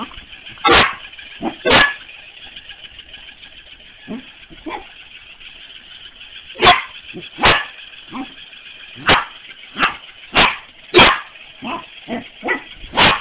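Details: A corgi playing with a mechanical ball barks in sharp, irregular bursts, some loud and some softer, over a steady whirring hum.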